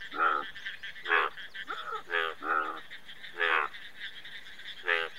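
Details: Indian bullfrog croaking in a steady series, about six short, nasal, harmonic croaks roughly one second apart, some doubled, with a faint continuous high hum behind.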